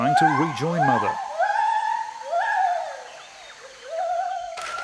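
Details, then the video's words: Territorial song of Jarunee the gibbon: after a brief burst of narration, long smooth hooting tones swell upward and sag again in slow, wavering phrases. "Jarunee the Singing Ape"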